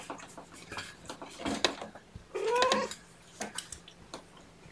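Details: A young kitten, one of Seraphina's litter of four (three males, one female) at Purrfect Pals, handled at lunchtime in October 2018. A single clear, slightly rising mew, about half a second long, over soft rustling and bumping indoors.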